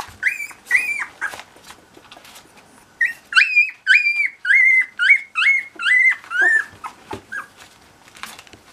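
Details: Cocker Spaniel puppies with their mother, indoors; a run of high, clear yelping whimpers, each bending down in pitch, first a few spaced cries then about nine rapid ones in a row, two per second, tapering off.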